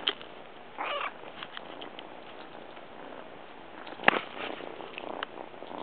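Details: A brown Munchkin kitten seeking affection gives a single brief, mid-pitched, wavering meow as it approaches; a sharp click follows later, with soft rustling and patter in a quiet indoor background.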